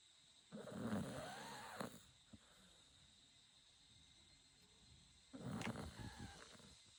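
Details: Chako, a Shiba Inu dog, snoring: two long rasping, low-to-mid pitched snores about four and a half seconds apart, each lasting roughly a second, with quiet breathing hiss between them.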